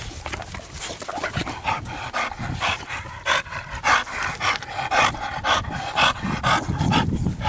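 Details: Zeus, an American Bully and son of Dax, from a small bully-dog breeding project, pants in quick rhythmic huffs roughly twice a second while a man urges him to show his muscles and shoulders; brief music in the background.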